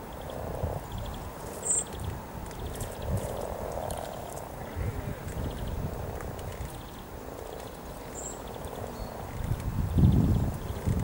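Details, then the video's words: Hundreds of frogs mating near Cow Tower on the Norwich riverside walk, 7 April 2013, in spring: a low, soft purring chorus swells and fades in patches, with a few short bird chirps higher up and a low rumble near the end. "Frogs mating near Cow Tower in Norwich"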